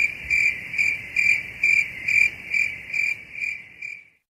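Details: High-pitched cricket chirps repeat about twice a second, steady at first, then fading over the last beats before the sound cuts to silence.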